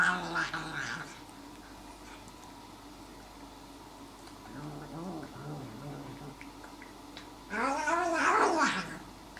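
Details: Chiquita, a domestic cat in pain, indoors: two strained, gargling, wavering cries with stacked harmonics. A short one opens the recording and a louder, longer one comes near the end, with quiet room noise and soft throaty sounds between.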